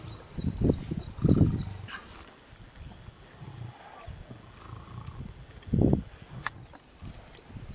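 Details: Lions at a pregnant warthog kill in South Africa give short, heavy growl bursts, two close together at the start and another a few seconds later, over quiet background rustling.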